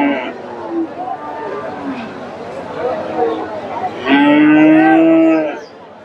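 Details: Cattle at the Dakumara cattle market in Bogura on 10/11/2025, where a two-toothed Friesian cross bull is being bargained over; indistinct talk, then a loud, steady, harmonic moo lasting about one and a half seconds near the end.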